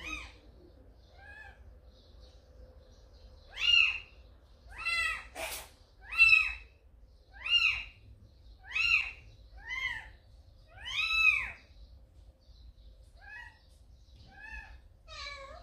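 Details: Repeated high, arched cat meows, about ten over fifteen seconds at an uneven pace, some loud and some faint. Recorded indoors after Samsaek, a calico mother cat, brought a kitten to the house; one sharp knock partway through.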